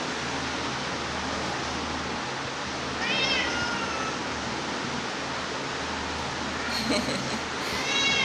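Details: Cats eating grass, recorded on 2 September 2023 at 7:05 pm: two short, faint, wavering meows about four seconds apart, nearly buried under a steady loud hiss.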